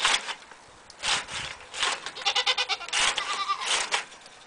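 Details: Cameroon goats bleating: several short, wavering, nasal bleats repeated about every second, some with a rapid quavering pulse, over faint background noise.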